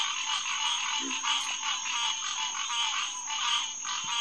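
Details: Dense nighttime chorus of green tree frogs (Hyla cinerea) at a pond in June 2021, many overlapping nasal quonking calls forming a continuous bright wall of sound, one brief low croak near the start.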